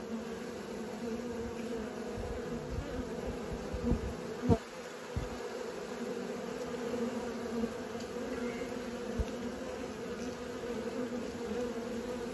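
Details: Steady massed buzzing of honey bees learning to fly, a low even drone, broken by several soft thumps and one sharp knock partway through.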